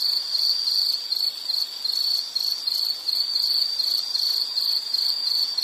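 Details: High, shrill insect trill offered as soothing background for study or sleep, repeating in quick regular bursts without pause, no other animals or noises.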